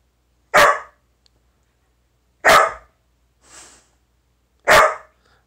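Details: Silken Windhound, a sighthound dog, giving three single loud barks about two seconds apart, with a soft faint sound between the second and third.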